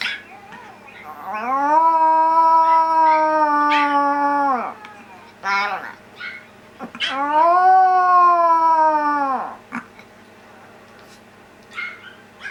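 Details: Domestic dog answering her younger sister's whine with howls, kept indoors with other small dogs: two drawn-out, level, harmonic howls, each about three seconds, rising at the start and sliding down at the end, separated by brief yips.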